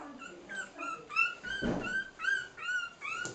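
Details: Cairn Terrier puppies three weeks old, playing together; a string of high, slightly rising whines and squeals follows in close succession, one brief low rumble mixed in, recorded indoors.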